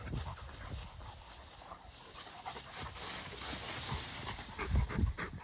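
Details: Two Dogo Argentino dogs playing outdoors, rapid rough panting breaths running about four per second, breathy and irregular, over a steady outdoor wind-like rustle.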